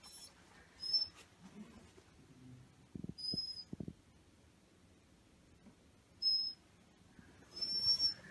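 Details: Waiting for food, the male black Shiba Inu Maro lets out brief high whistling whines, four or five separate piping notes spaced irregularly, with soft low thumps and shuffling in the background.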